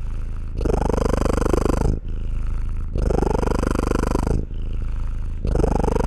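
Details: Rumbling domestic cat purr, deep and finely pulsed, alternating between loud exhaled bursts and quieter inhaled stretches, about three breath cycles in a few seconds with no background noise.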